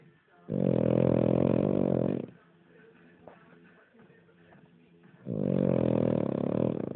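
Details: Sleeping King Charles Spaniel snores in loud, coarse rattling bursts lasting nearly two seconds, with a quiet stretch of about three seconds between the two snores.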